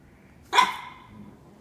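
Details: Young Norfolk Terrier, under a year old, taking on a cat indoors: one sharp, loud bark with a short ringing tail, surrounded by quiet room background.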